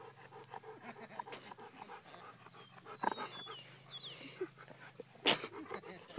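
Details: Golden retriever panting during a game of fetch outdoors: quick, rhythmic breathy pants at the start, then softer breathing, with chirping birds and a man's voice calling the dog.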